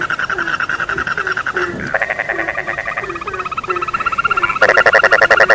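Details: Frogs in full chorus for falling asleep: repeated short croaks below, a buzzy pulsed trill rising in the middle, and a louder rattling burst of rapid notes closing the clip.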